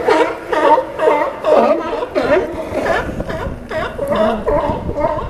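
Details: A group of sea lions on the docks of Newport, Oregon, producing rough, gurgling barks in rapid overlapping bursts, a crowded chorus with barely a pause between calls.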